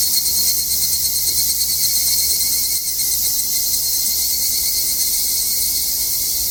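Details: Cicadas on a Japanese mountain in summer, recorded during a hike, give a dense, steady high-pitched buzzing that fills the air without pause.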